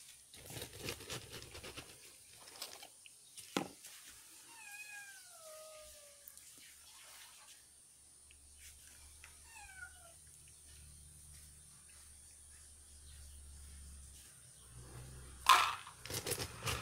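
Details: Domestic cat noisy before feeding: three drawn-out, falling meows in the middle, with Russian speech at the start and end, a low hum, and a sharp knock near the finish.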